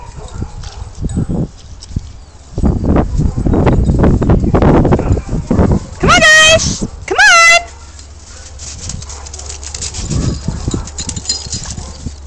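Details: Weimaraner among a group of several Weimaraners, heard after human talking: two loud, high, drawn-out whining yelps with rich overtones, the second slightly rising, followed by quieter voices and background noise.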